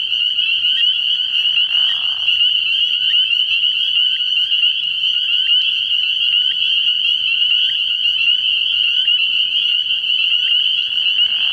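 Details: Frog pond at night in early spring, full of spring peepers: an incessant high-pitched ringing chorus of countless overlapping peeps, steady throughout, with a short lower buzzy sound near the two-second mark.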